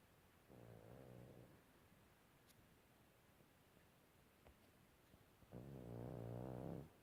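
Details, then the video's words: A sleeping pug snoring: two long, low, rumbling snores with a buzzy, harmonic tone, the first about a second long and the second louder and longer, separated by roughly four seconds of quiet breathing. "Snoring Pug"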